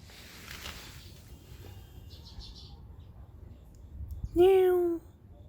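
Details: Stray cat in a Korean neighbourhood, filmed in 2019 on a Samsung Galaxy S9+: after several quiet seconds of outdoor background hiss with faint chirps, a single clear, steady meow lasting about half a second.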